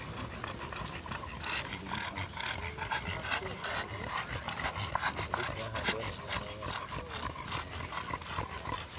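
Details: Bullmastiffs clashing at a dog show, heard as rapid, steady panting with scattered whimpers amid a noisy indoor hall full of crowd murmur and chatter.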